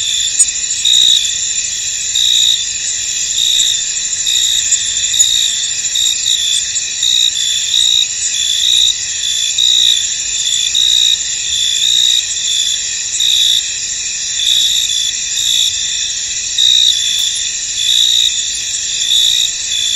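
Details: Crickets in a misty field, a dense continuous high-pitched chorus with pulsing bursts that swell roughly once a second over a steady shimmering trill; no other clear sounds.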